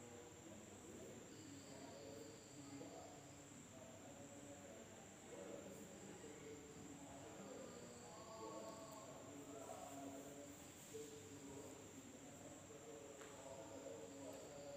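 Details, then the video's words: In an Indonesian village after dark, insects sustain a piercing, even drone that never pauses, joined at times by a thinner high tone, over a busy layer of lower, wavering sounds. "the sound of insects at night in the village of Indonesia SUARA SERANGGA MALAM HARI"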